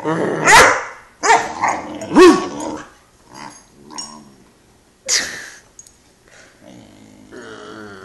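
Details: An 11-week-old Great Dane puppy named Phantom protests being put on the couch alone, letting out three sharp rising barks, then low grumbling growls, another bark and a drawn-out whiny moan.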